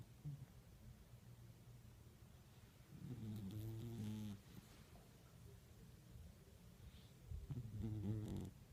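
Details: Sleeping cat snoring, with two rough, low, harmonic snore breaths around the third and eighth seconds against a quiet background hum.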